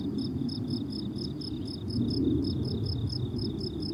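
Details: Meadow crickets in summer chirp in crisp, high, evenly repeated bursts, several each second, while a heavy low rumble, louder midway, fills the background.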